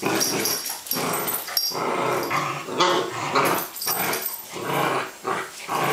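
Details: Playful Welsh Springer Spaniel female indoors on a rainy day, growling steadily in rough, throaty surges that rise and fall every second or so, over scuffling.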